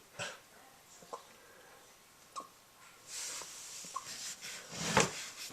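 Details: A male Golden Retriever puppy with hiccups gives short, sharp gulping clicks about once a second.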